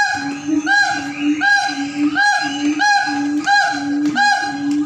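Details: Siamangs (Symphalangus syndactylus) at a zoo in North Sumatra, Indonesia, howl in loud, honking, rising whoops, repeated about once a second.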